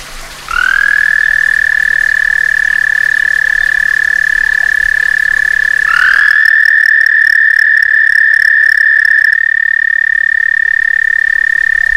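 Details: A frog visiting a back stoop in summer, giving its mating call: a long, steady, high trill that starts half a second in and runs unbroken to the end without changing pitch. A fainter second layer joins partway through.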